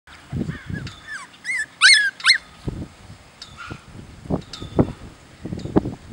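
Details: A tri-colour litter of English bulldog puppies, sable tri and red tri, whine and squeal in high, wavering cries, with soft low grunts and snuffles between.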